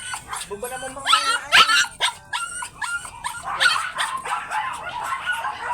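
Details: Teacup import-line Pomeranian dogs at a kennel during stud service, giving a quick series of high, sharp yips and short barks, some with whimpering tones, over a human voice talking in the background.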